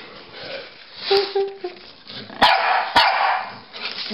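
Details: Pekingese and Bulldog, Rocky and Bully, playing chase indoors; a few short, tonal yips and barks stand out in the middle, followed by sharp thumps and scuffling.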